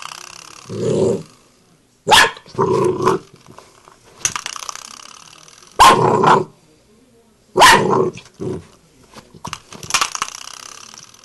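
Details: A Bull Terrier puppy reacts to a door knocker with short, sharp barks and low growls amid sharp knocking sounds; Bull Terrier.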